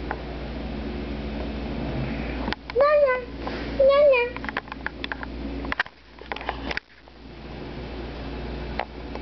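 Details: Oliver, a pet cat that cries whenever his owner sneezes, utters two wavering, drawn-out meows about a second apart. A person's voice and handling noises follow.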